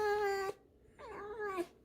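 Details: Pet fox kept indoors, scolded over a bucket and rag, answers with a sustained nasal whine, then after a short pause a wavering, bending squeak that dips and ends abruptly.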